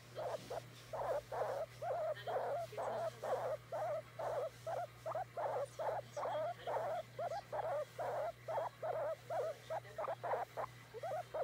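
A guinea pig gives a long series of brief, squeaky chirps, repeated a little faster than twice a second. The calls show it wants to be petted, over a faint low electrical hum.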